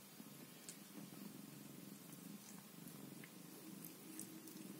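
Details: Scottish Fold cat with her kittens at home, purring in a low, pulsing rumble that rises and falls rhythmically, with faint scratchy rustles overhead.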